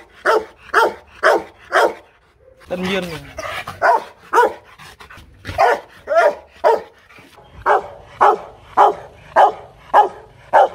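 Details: Aggressive Rottweiler at a kennel in Hanoi, Vietnam, barking in steady rapid series, broken briefly by a growling, whining vocal burst and a lower voice before regular barks return.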